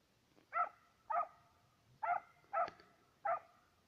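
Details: Serbian hound working a trail of fox and roe deer: five loud, drawn-out ringing bays spaced about half a second apart, with a brief click among them and a quiet background.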